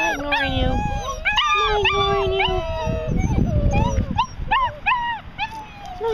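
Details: Six-week-old puppies crying in a group: drawn-out high whines, some long and level, others short rising-falling yelps repeated in quick succession, with a low voice murmuring underneath.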